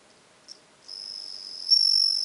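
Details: Bell cricket recorded on 17 September 2021, giving a brief high note followed by a sustained, bell-like ringing trill that swells louder toward the end, over an otherwise quiet background.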